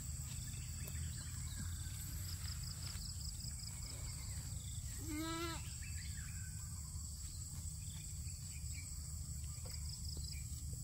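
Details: Goat eating grass gives a single short, quavering bleat just past the midpoint, under half a second long, set against a constant low rumble and a steady high-pitched whine.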